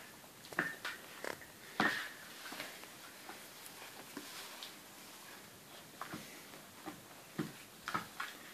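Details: Several puppies make brief, thin squeaks and whimpers, scattered unevenly through the recording, with louder clustered yelps near the start and end and faint rustling between them.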